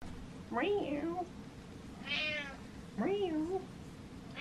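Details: Pet cat meowing indoors, two drawn-out meows that rise then fall and waver, about two and a half seconds apart, with a higher voice-like sound between them.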